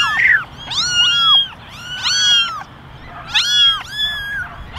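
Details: Basket of eleven kittens, ten gingers and one all white, calling for attention; overlapping high, arching mews come in clusters of two or three voices, separated by brief quieter pauses.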